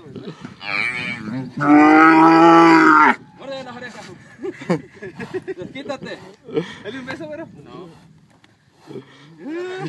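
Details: Branding calves at Pedro Celestino Negrete, El Oro, Durango: one loud moo of over a second rises out of steady talk from the people working the animals.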